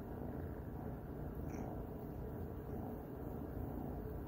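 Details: A domestic cat purring while snuggling; a steady, low rumbling purr runs unbroken through the whole stretch, with faint hiss above it and no other clear sounds.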